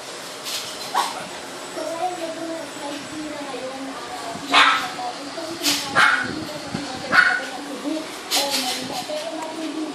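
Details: Liver-coloured Shih Tzu giving short sharp yips and whimpery barks at irregular intervals, roughly one a second in bursts, over a person talking throughout.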